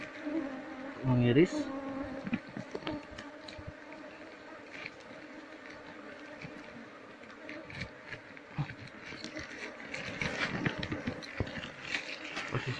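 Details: Wild Asian honey bees (Apis cerana), described as fierce and ready to sting anyone disturbing their nest, buzzing during the harvest of a wild hive. A steady droning hum runs throughout, with scattered clicks and knocks and faint voices.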